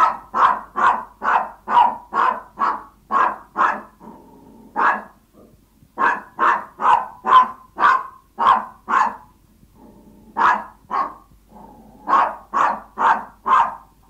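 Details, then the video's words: Yorkshire Toy Terriers barking when hungry and begging their owner: long bursts of rapid, evenly spaced high yaps, roughly two per second, broken by brief whines and pauses, around thirty barks overall. "Som do cães Yorkshire Toy Terrier latindo, quando esta com fome"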